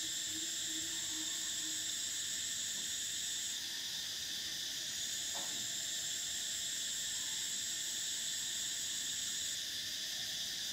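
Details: A summer cicada chorus makes an unbroken, piercing high whine that drops and returns briefly. A few faint low tones sit beneath the steady buzz.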